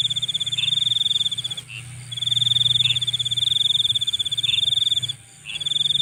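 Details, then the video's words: Nighttime insect producing a piercing, fast-pulsed trill in long runs separated by short breaks, joined by occasional lower chirps and a steady low rumble beneath. "Nighttime Insect Sounds"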